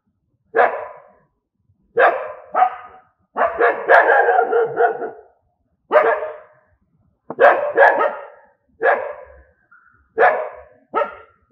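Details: Angry dogs giving a long series of harsh, coarse barks, some single and some run together into a rapid rough volley near the middle, spaced by brief silences over about eleven seconds.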